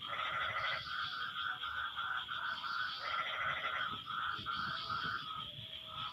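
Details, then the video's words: Frogs calling to one another after the rain has stopped: nasal, harmonic croaks in half-second to one-second bursts, overlapping and alternating, over a steady high insect-like hum and low background rumble. "Suara Kodok No Copyright sangat MERDU saling BERSAHUTAN"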